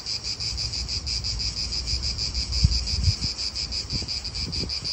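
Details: Cicadas in an Italian park produce a shrill buzz pulsing about three times per second. Gusts of wind rumble and thump underneath, with a few brief low knocks.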